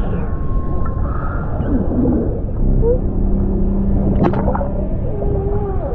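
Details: Humpback whale off Norway, among fin whales and orcas, gives drawn-out tonal moans that rise and bend over a deep underwater rumble.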